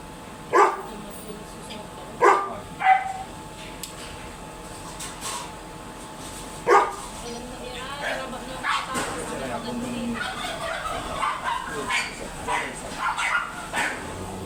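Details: Dobermann dog at a stud service in Palua, Mangaldan, Pangasinan: a few sharp, loud barks in the first seven seconds, spaced irregularly, followed by people talking over faint background noise.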